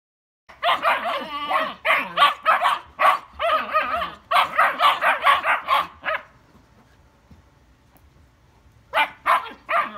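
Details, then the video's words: German Shepherd puppies arguing: a rapid burst of high, yappy overlapping barks and yips for about five seconds, a short quiet pause, then a fresh flurry of barking near the end. "GERMAN SHEPHERD PUPPIES ARGUING OVER LIFE LOL!!"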